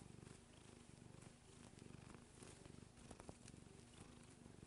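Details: Domestic cat, an adult female almost nine years old, purring while kneading; a steady low rumbling purr with regular pulses continues throughout, with a few faint clicks and rustles.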